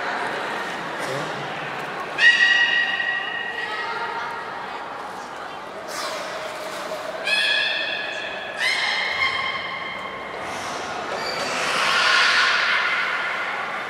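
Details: Captive beluga Nana training at Port of Nagoya Public Aquarium, 13 April 2019: a series of short, creaky, harmonic squeaks and squeals, some clustered, with human speech and hall echo mixed in.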